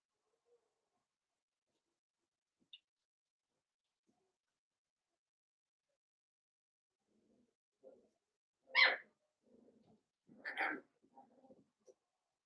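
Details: Cavalier King Charles Spaniel puppies, a blenheim litter of five, romp with their mother in an indoor puppy pen. Near-silence gives way to two sharp, bright yaps about two seconds apart, followed by soft low mutterings.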